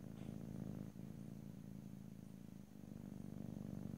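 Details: Domestic cat purring steadily, recorded in stereo with no talking: a low rumbling pulse that holds on with little change, dipping briefly near one second and again later.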